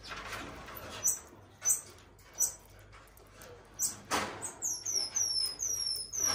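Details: An elderly female common marmoset at a zoo, white-furred and balding, gives a run of high, thin, downward-sliding chirps near the end, after scattered clicks and soft knocks from handling and movement.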